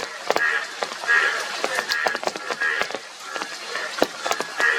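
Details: Several Indian yellow bullfrogs, yellow frogs with blue cheeks, calling together: short, buzzy croaks in loose rapid bursts overlap one another, with crackling splashes and clicks throughout.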